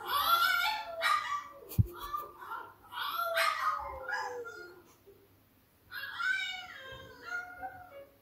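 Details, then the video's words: French Bulldog howling from a TV, heard by an English Bulldog indoors; drawn-out wavering howls with rising and falling harmonic notes in two long bouts separated by a quiet gap, with a sharp click near the start. "Frenchie Howling On TV"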